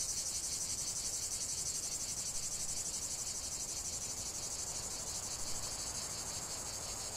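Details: Cicada song over a lavender field: an intense, high, sizzling buzz that throbs in quick regular pulses without pause, with little else besides a soft low hum.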